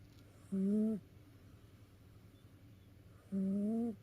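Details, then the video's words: House cat sleeping after tiring itself out with play, snoring: two smooth, tonal, slightly rising hums about three seconds apart, each lasting half a second, in a quiet room. "遊び疲れた猫のいびき Snoring of a tired cat."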